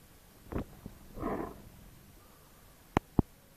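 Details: A sleeping bloodhound snoring indoors: a soft thump, then one breathy, rasping snore of about half a second, followed by quiet and two sharp clicks near the end.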